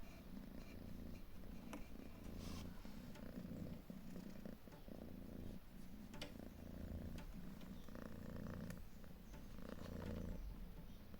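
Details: Calico mother cat, proud and protective of her three different-coloured kittens, purring: an even, low pulsing rumble throughout, with faint rustles and soft clicks in the background.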